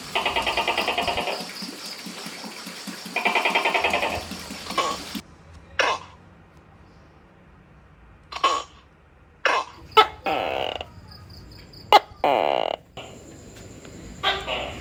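A Tokay gecko gives loud, harsh, croaking bursts, repeated with a pause of about two seconds between them.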